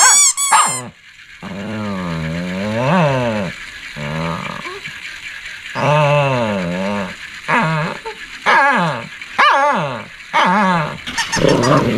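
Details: Shih Tzu barking and growling: about nine voiced, harmonic calls in twelve seconds, some long and arching up then down like drawn-out groaning barks, others short and sharp, over a faint steady high background hum.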